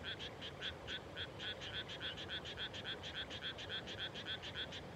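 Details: Frogs calling at dusk just after rice planting in the Japanese countryside, late May: a rapid train of short, clipped croaks, about three or four per second, pulsing steadily over a low wind-like rumble.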